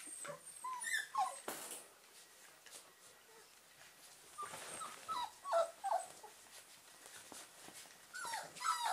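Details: German Pinscher puppies from the Ettaler Mandl kennel, awake, produce scattered thin whimpers and brief squeaky yips, louder bursts midway and at the end, amid rustling and broadband background noise.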